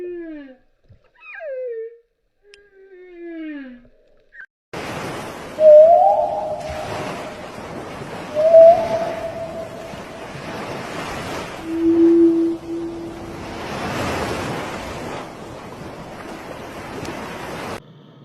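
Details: Whale calls: a few quick sweeping chirps at the start, then drawn-out moaning tones that rise slightly and hold, repeated several times over a steady wash of ocean noise and surf.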